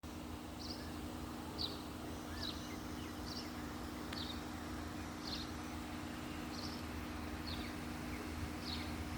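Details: A small insect on a tree gives short, high chirps repeated about once a second over a steady low hum.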